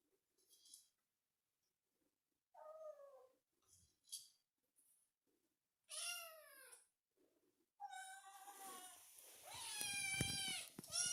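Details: Kitten meowing indoors: short faint squeaks, then drawn-out harmonic meows that bend downward, the last ones louder, longer and overlapping with rustling and handling noise.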